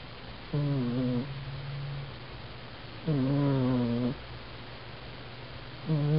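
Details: Sleeping domestic cat snoring indoors, recorded on a Canon A480 compact camera: harmonic, droning breaths with a slight wavering pitch, one roughly every three seconds, separated by quiet pauses with a steady low hum underneath.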